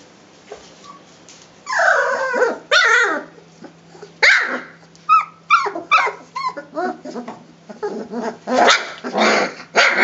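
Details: Rhodesian Ridgeback puppies, three weeks old, playing cheerfully in a kennel: squeaky whining growls turn into a rapid string of short high yips and little barks, ending in harsher snarling bursts.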